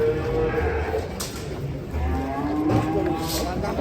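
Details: Two drawn-out cattle moos, the first level and fading, the second rising gently, separated by a short gap; background noise and faint voices accompany the lowing.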